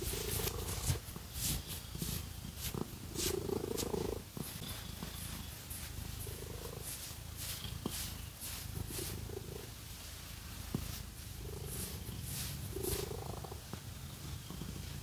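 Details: Pet cat purring during a scratching massage: a soft low rumble runs throughout beneath repeated brisk scratching sounds and faint brushing noises, in a quiet room without speech.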